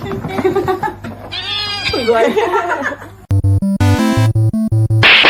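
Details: Domestic cat giving a wavering, drawn-out yowling meow lasting about two seconds, with voices in the background, then cut off by loud pulsing electronic music with a steady beat.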